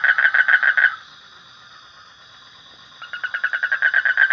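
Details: Frog gives a rapid rattling trill, breaks off into a two-second pause with only a thin high hum, then starts up again, the pulses building in loudness.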